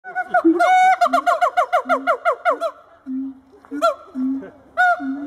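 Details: Two adult siamang gibbons howl in a zoo, displaying for visitors: a rapid run of about a dozen loud, bright, sliding barks, then low booming hums alternating with short sharp whoops. No other clear sounds.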